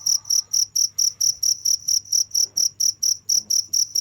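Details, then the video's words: Cricket chirping: sharp, high trilled pulses at a steady pace of about four per second, with a quiet low hum in the background. "the sound of crickets"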